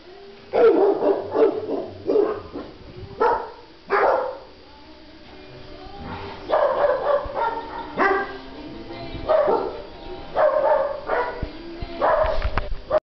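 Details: Husky at an animal shelter in Figueres, June 2014, barks loudly and repeatedly. Hoarse, harmonic barks and yelps come in irregular bursts, about a dozen over thirteen seconds, with short quiet gaps between clusters.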